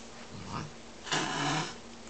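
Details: Miss Kitty, a domestic cat, hissing and grumbling like a lion while eating indoors: a brief soft rasp, then a louder breathy hiss of about half a second over a low rumbling growl, in a quiet small room.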